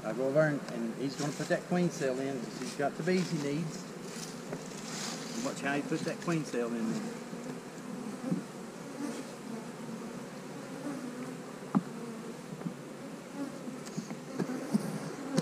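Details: Honey bees during hive splitting, with queen cells in the new splits: a steady low droning hum of many wings holds throughout, while a voice talks over the opening seconds.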